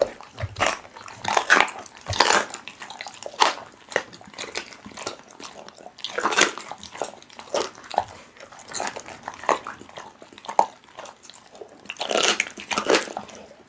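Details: A pit bull works through raw meat: a steady run of moist, clicky bites and smacks, several strong bursts spread across the recording, indoors with no other clear sounds.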